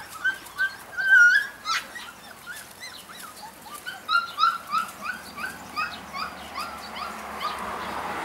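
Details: Several Golden Retriever puppies squeal and whimper in short, high, bent notes, some clear and tonal, others yelping, coming in uneven bursts throughout.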